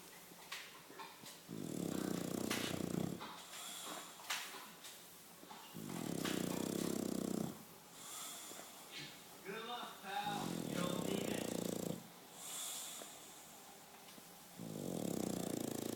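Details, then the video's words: Snoring English Bulldog, four deep buzzing snores of roughly one and a half seconds each, repeating about every four seconds, with faint voices and small noises in the quiet gaps between them. "Bulldog anglais ronfle"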